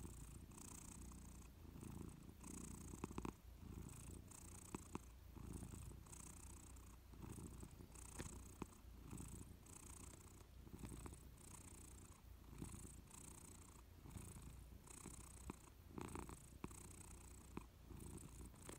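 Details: Persian cat dozing on a warm sofa indoors, purring: a soft, deep, continuous rumble that swells and fades in a steady rhythmic pulse throughout, with a faint hiss above it and no other sounds.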